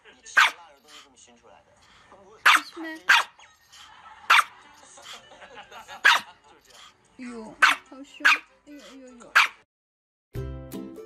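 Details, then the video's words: Angry dogs barking in loud, sharp bursts at irregular intervals, mixed with whines and yips, then a burst of music at the end. "Angry Dogs"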